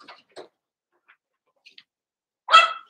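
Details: Cavalier King Charles Spaniel puppies, Daisy's six litter merged with Robin's two pups to make eight, at play; after faint scattered snuffles, one sharp, bright yelp rings out near the end.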